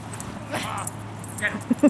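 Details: Buttons, a 16-month-old pet dog, playing with his 15-year-old boy; one drawn-out, wavering whimper with a rich harmonic tone, alongside a human voice and faint background rustling.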